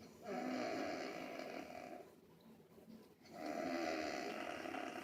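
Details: Angel Bear, a dog, snoring again: two long, rasping, broadband breaths about two seconds each, separated by a quieter pause, with a faint higher tonal whistle inside each snore.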